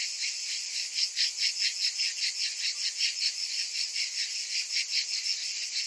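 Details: Cicadas on a hot summer afternoon, many insects calling together in a dense, high-pitched shrill buzz that pulses several times a second with no other sounds.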